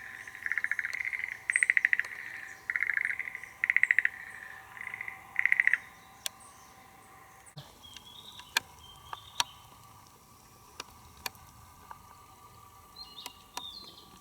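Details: Schlegel's green tree frog in Tokyo, Japan, calling unseen from its soil nest to lure females, spring: five rapid pulsed trill bursts in the first six seconds, then quiet with scattered clicks and faint high chirps from other calls.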